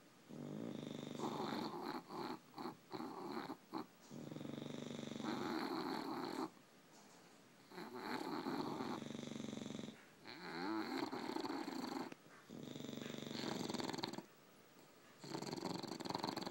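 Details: A pair of tired English bulldogs sleeping, snoring almost continuously in loud rasping, wheezy breaths, broken by brief snuffles and short pauses.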